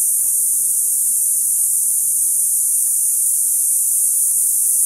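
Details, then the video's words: A dense cicada chorus in a mesquite tree, heard in a neighborhood after sunset in summer heat. The shrill, continuous, loud buzzing hum is steady and pulseless from start to finish, with nothing else audible. "Sounds of Cicadas"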